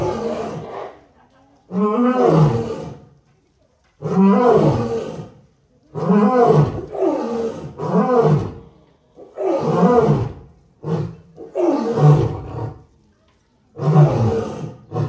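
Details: Male lion roaring: a series of deep, groaning bursts, each rising then falling, repeated every one to two seconds, with brief silent gaps between groups.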